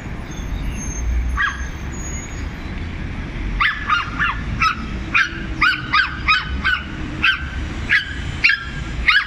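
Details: Small dogs ganging up on a larger dog, barking in turn: rapid high yaps in quick runs of two and three, growing denser toward the end, over low continuous background noise.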